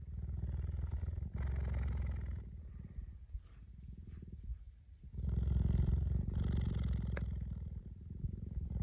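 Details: Cheetah giving a deep, low rumbling purr-like sound in continuous pulsing stretches, loudest in the first two seconds and again from about five seconds on, with a quieter gap in between.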